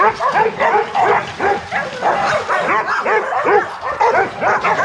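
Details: Several young Rottweilers at a kennel, loose in the exercise yard and giving a dense, unbroken chorus of barks and high yelps that overlap with no pauses.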